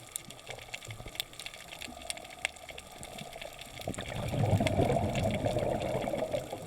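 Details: Colonies of foraging pistol shrimp on Flinders Reef, 40 km ESE of Caloundra, Sunshine Coast, Australia, May 13, 2016, crackle underwater, a dense field of sharp claw snaps like frying fat or a fire.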